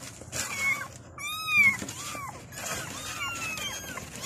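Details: Kittens calling their mother: a few thin, high mews, one louder arched cry in the middle followed by softer, wavering ones, over faint background noise.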